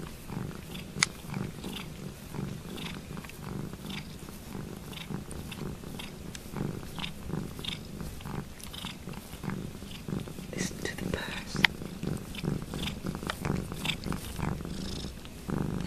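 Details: A cat washing another cat's foot, purring noisily: a steady low rumbling purr throughout, broken by rhythmic wet licking and slurping clicks, in a small indoor room.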